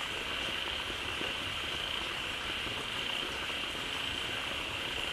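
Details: A crowd of frogs gathers fast in a pond as a waterfall begins flowing in, calling loudly to fill the pond: a dense, steady high buzzing chorus with a constant bright band and a grainy, rushing background.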